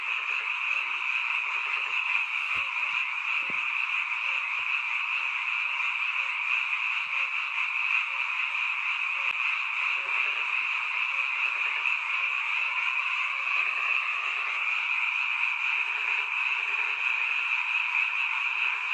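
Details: A dense night chorus of frogs near a mountain village, heard only at this time of year: countless overlapping croaks merge into a steady, shimmering trill.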